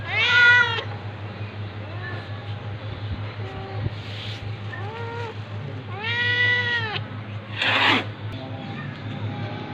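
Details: Domestic cats during a fight, a tabby cat attacking a ginger cat: a loud harmonic meow opens, then fainter short meows and a long arched, drawn-out meow, with a steady low hum and a brief hissing burst near the end.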